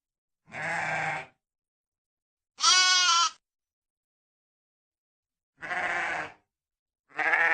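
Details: Four sheep bleats with gaps of one to two seconds, alternating between deeper, rougher baas and a higher, clearer, quavering one, heard cleanly against silence in a sound-effect recording.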